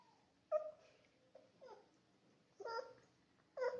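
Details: Labrador Retriever puppy playing indoors, giving short high whimpering yelps in four bursts with quiet gaps between them.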